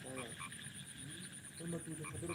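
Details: Frogs croak at night in short, throaty bursts, with a thin, steady high whine behind them.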